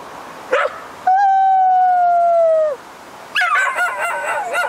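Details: Female Keeshond playing agility in a British Columbia forest. She gives a short yelp, then a clear, sustained howl of about a second and a half that slides slightly downward, followed by wavering, yodel-like cries. Her owner praises her in between.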